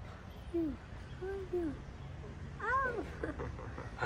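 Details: Street cats in Morocco, a stray cat keeping a calico cat from coming near; short arched meows, a few quick ones followed by a louder, higher rising-falling meow, over low street rumble.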